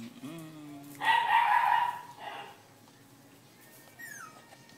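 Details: One of a litter of seven small puppies lets out a brief whimpering, whining cry lasting about a second, followed by a quieter fading whine over low room noise and faint talk.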